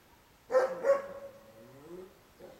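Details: Two dogs, Boerboel Gipsy and Tosa Suki, at play: two quick barks in close succession, then a trailing low whine that fades out.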